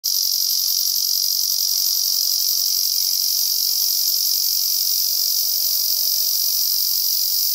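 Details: Male Ezo cicada singing on an overcast day in a season of heavy rains: a continuous, shrill, high-pitched buzzing drone, steady and unbroken throughout, with a faint shimmering pulse and no other sounds.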